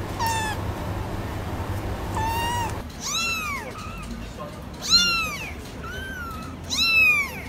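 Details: Meowing kittens, several voices overlapping: repeated high, bending meows, some rising then falling, with one louder cry near the five-second mark against a constant background hum.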